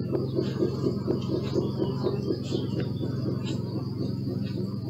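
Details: A low, droning bee hum that throbs unevenly, recorded on a Sony Alpha 6000, with faint bird twitters above it.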